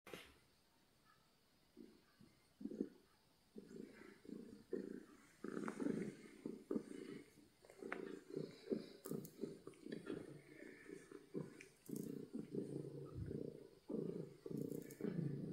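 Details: Happy domestic cat purring loudly indoors: after about two seconds of near silence, a low, rough rumble begins and pulses steadily with each breath in and out, continuing to the end with a few soft clicks on top.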